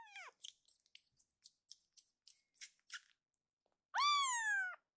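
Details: Akuro, a rescued foster kitten, calls out loudly. A short falling meow opens, followed by a run of quick soft clicks and rustles. A long, strong, slightly rising and falling meow closes the stretch.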